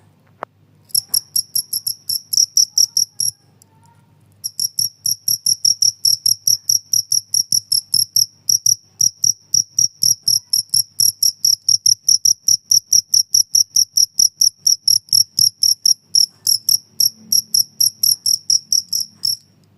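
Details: Noisy cricket chirping intended to scare away stubborn house mice and to tutor songbirds: bright high-pitched pulses repeated rapidly and evenly for about twenty seconds, with one short break early on and a faint low background hum.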